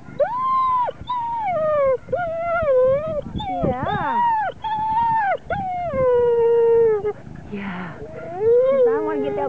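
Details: Five-year-old female Vizsla whining and shaking with excitement while waiting her turn at lure coursing: a run of long, high, tonal whines, some level and some bending, with short gaps between them and a brief human voice near the end.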